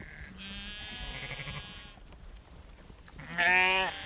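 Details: Close herd of sheep moving about as a female farmer shakes food for them; several quavering bleats overlap amid rustling, ending with one loud, strongly harmonic bleat.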